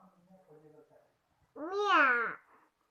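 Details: Domestic cat indoors giving a single loud, drawn-out meow that rises then falls, lasting under a second, after soft low human murmuring.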